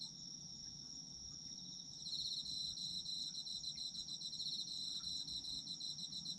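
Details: Autumn insect chorus: first a lone steady high ringing tone, then after two seconds a louder rapid chirping trill joins and continues to the end, over a gentle low hum.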